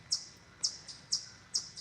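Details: Several chipmunks chirp in a forest, growing louder, as one barks closer with sharp, high chips repeated about twice a second.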